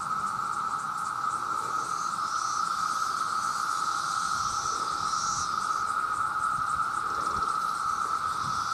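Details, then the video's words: Male cicadas in their millions, crying out to attract mates, make a constant piercing drone held at a single pitch, with faint higher shimmering chirps drifting above it. "The Sound of The Cicada"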